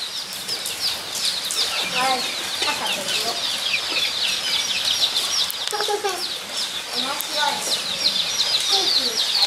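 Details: Zoo guinea pigs at Nogeyama Zoo, Japan, recorded 23 September 2012, give a busy chorus of shrill squeaks and chirps, some dropping in pitch, repeated rapidly and irregularly over continuous background hiss.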